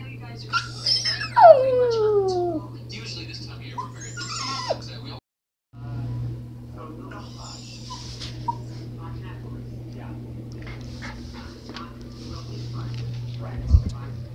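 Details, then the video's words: Pet dog Smudge howling inside a small room: one long sliding howl that falls steadily in pitch, followed by scattered faint yips and whines over a constant low hum. "Smudge Howling"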